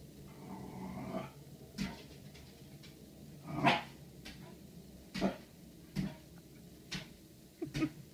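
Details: A Corgi named Murray faces itself in a mirror indoors, giving low rumbling growls that break into sharp, clipped barks. Single bursts come every second or so, then a quick double bark at the end.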